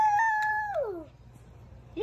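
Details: Two-week-old Jack Russell Terrier puppy indoors: a long, clear, high whining cry held level, then sliding downward and fading, followed by a brief rising squeak at the end.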